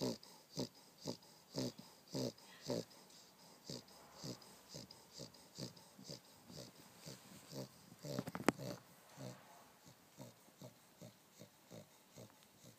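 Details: Dog asleep on a down duvet snoring in short raspy breaths roughly twice a second, uneven in spacing, with a brief louder rustle midway.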